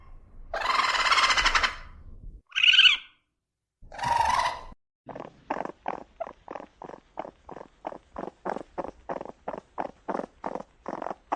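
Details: Raccoon natural sounds: a harsh rasping growl, a brief high squeak and another gruff burst, followed by a steady series of short chattering pulses, about two per second.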